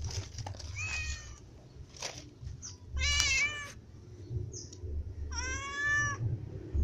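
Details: Cats, among them a white and a ginger cat plus small cats, eating as a group; three clear meows, the last long and tonal, separated by short pauses and light background noise.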